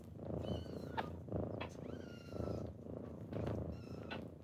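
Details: Morning purring from kittens waking their owner indoors: low continuous rumbling purr rising and falling about once a second, with brief thin high squeaks and light tapping noises.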